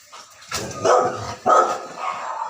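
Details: Rottweiler barking angrily at a strange pig sound: two loud, rough barks about a second apart, the second trailing into a lower, drawn-out growly tail.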